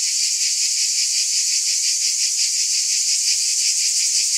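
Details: Cicadas in a continuous high, rasping buzz with a rapid rhythmic throb, steady in volume from start to finish.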